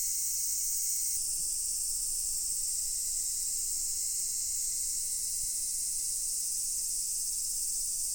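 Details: Many cicadas singing together at Daichū-ji temple, Ōhira: a continuous, even, piercing buzz-wash high in pitch; a thinner lower whine drops out after about one second while the high drone carries on unchanged.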